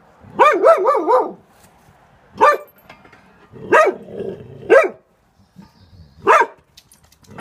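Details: Jack, a Cocker Spaniel, scared and trembling at neighbours gardening, gives a quick burst of three or four yelping barks, then single sharp barks roughly every second or so, in a quiet indoor setting.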